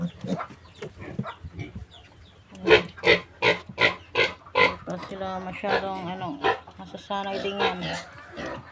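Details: Recently weaned piglets of a new sow, about a month old, squealing in a series of sharp broadband bursts roughly every half second, with harmonic squeals and human voices mixed in.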